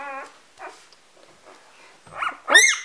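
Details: Hungry three-day-old Golden Retriever puppy, being cuddled indoors on a Vermont farm before going back to its mother, whines in a steady tone, goes quiet, then gives two loud rising-falling squeals near the end.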